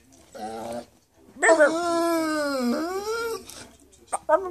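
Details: Bernese Mountain Dog "talking": a short whining moan, then a long sustained howl-like tone sliding slightly down and back up for about two seconds, ending with brief yips.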